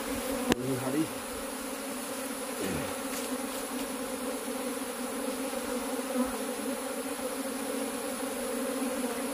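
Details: Humming mass of farmed honey bees at the hive during a search for the queen. The even, droning buzz runs unbroken, with a sharp click near the start and a few faint taps.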